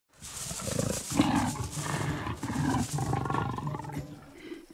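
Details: Wild leopard in the Serengeti, Africa, confronting porcupines while hunting for food; a deep, rough growling rumble in bursts over several seconds, with hissing noise above and faint background rustle.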